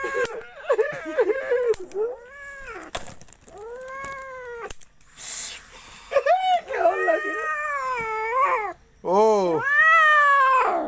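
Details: Angry house cat yowling in a small room, a string of wailing, rising-and-falling cries, some short and choppy, others long and strained, rising into a loud drawn-out howl at the end, with a person's voice talking in between.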